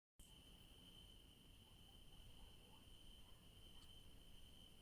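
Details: In the evening in a garden with yellow daisies, crickets give a steady, high, unbroken trill over a low background rumble.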